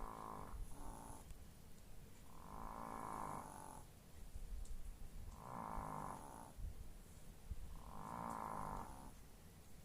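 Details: Sleeping chihuahuas snoring: four long, raspy snores, each lasting over a second and coming roughly every two and a half seconds, with quiet breathing pauses between them and a faint steady hum in the background.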